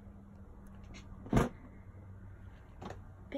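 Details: Low indoor hum with a sharp knock or bump, then a softer rustle; no animal voice is heard.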